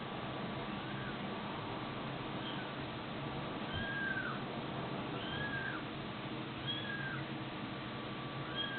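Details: Cat and kitten from a compilation of funny pets, giving short arched meows that rise and fall, about half a dozen spread from the second second onward, set against a steady hiss.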